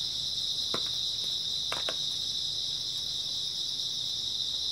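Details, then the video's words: Grass insects chirp through an early autumn night, a continuous bright, high trill. Two or three soft knocks sound in the background. "초가을 밤부터 새벽까지 백색소음 풀벌레 소리"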